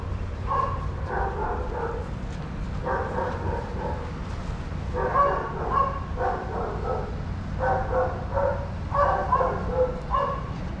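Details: Adoptable dogs romping together at a daycare, with five clusters of rapid barking spread across the recording and quiet gaps between them, over low steady background noise.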